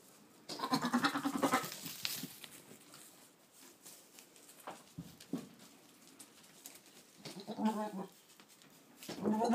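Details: Boer buck talking to goats, 22 October 2013: rough, quavering bleats, a long one at the start, a shorter one near eight seconds and another at the end, with soft snorts and rustling between them.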